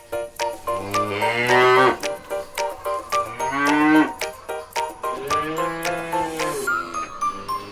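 Cows give long, deep moos that swell and fade, with bell-like clinks and music behind.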